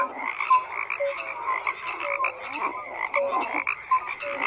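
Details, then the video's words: Dense frog chorus of rasping croaks repeated quickly and irregularly, close to two per second, with occasional short whistled notes cutting through. "FROGS CROAKING"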